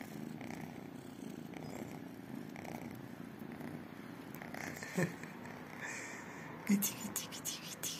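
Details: Tiny kittens, two calico and one tabby, purring while waiting for love and food; a low continuous purr with soft whispered speech and a few handling clicks and rustles toward the end.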